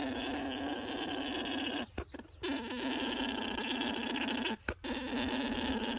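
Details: A male alpaca gives a steady, buzzing, guttural drone broken by two brief pauses: the mating song or orgling he uses to attract females, the loudest, most intense and continuous alpaca sound.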